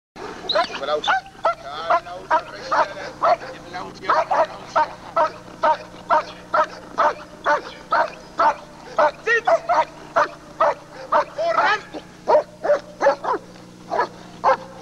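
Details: German Shepherd Lord v. Gleisdreieck, DDR line, in home footage filmed off a TV screen and dated 1995: loud barks about twice a second in uneven bursts, with some pauses, over a steady low electrical hum.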